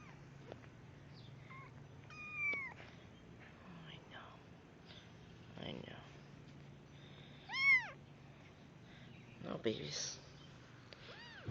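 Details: Abandoned kittens outside, getting wet, give several high, arching meows spread over a few seconds, one clearly louder. A person calls to them between cries, with rustling and handling noises.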